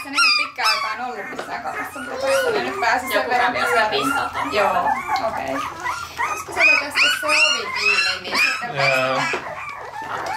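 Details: Several Parson Russell Terrier puppies, recorded in Tampere, Finland on a Sony FDR-AX100, whimper and yelp in a steady tangle of short, rising and falling whiny cries, with a few louder squeals near the end.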